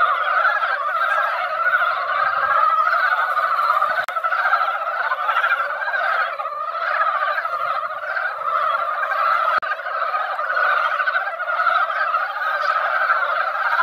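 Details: A mountain pond comes alive as mountain frogs emerge after a light rain to gather and sing each year: thick, uninterrupted chorus of many overlapping chuckling croaks, with a few faint clicks and knocks.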